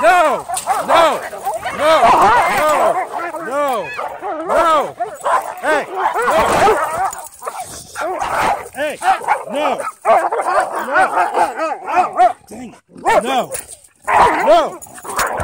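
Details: Dog being restrained in a headlock after repeated attacks gives rapid, wavering yelps and whimpers, mixed with loud human voices throughout.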